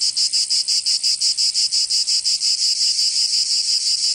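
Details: Cicadas singing in summer in Provence, southern France: a loud, dense buzzing pulsed about three times per second, steady and rhythmic, high-pitched with no other clear sounds.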